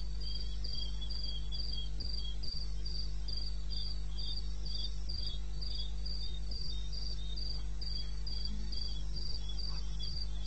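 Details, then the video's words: Cricket calling in the wild in eastern Botswana, recorded 21 May 2016 at 2:30 at night: continuous rapid high chirps, about three a second, layered with a softer lower chirping voice, over a persistent deep hum. "1 Hour cricket sound-Africa-No loop-Real recording."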